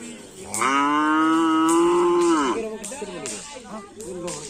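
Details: A bull-race (karapan sapi) team's cattle at a community gathering: one long, loud, even moo of nearly two seconds that ends abruptly, followed by voices and scattered short animal grunts.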